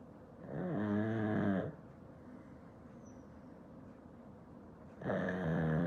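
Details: A sleeping black pug kept as a house pet: two deep, buzzing, nasal snores about four seconds apart, each lasting over a second with a gently rising and falling tone, quiet pause in between.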